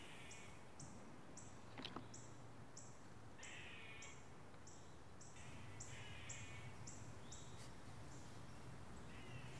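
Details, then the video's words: In the Charlottesville area of Virginia, a squirrel gives a steady run of short, harsh, high chirps, about three a second, over a low rumble. The squirrel's partner mimics a bird-predator alarm call to drive off a hunting owl after the owl killed a squirrel. "you can actually hear the squirrel's partner mimic a bird Predator alarm call in order to foil the owl's hunting plans and hopefully get it to move away from the area"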